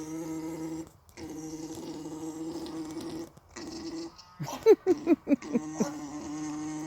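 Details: Alpacas mating: an alpaca makes its steady, droning, gurgling mating noise, with brief pauses for breath.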